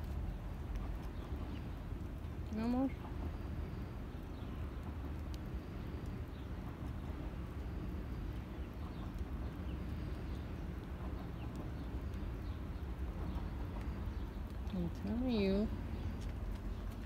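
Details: Confused cat searching for its forgotten food gives two short wavering meows, one early and one near the end, over a steady low rumble while a person talks to it and urges it to stay and eat.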